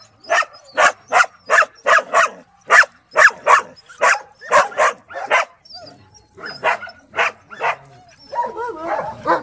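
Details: Kennelled dogs at the Bark Ark shelter: one dog barks in an even run of about a dozen sharp barks, then the barking spaces out and other dogs whine and yip.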